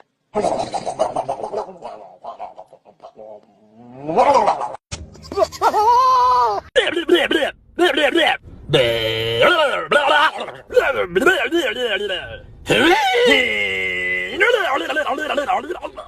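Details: Goat (Capra hircus), bleat.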